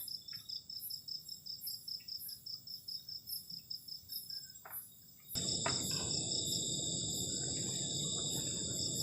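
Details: Cold-night crickets near a garden camping shelter keep up a shrill, pulsing high trill in layered bands; after about five seconds a loud, steady broadband rush swells up beneath the chorus.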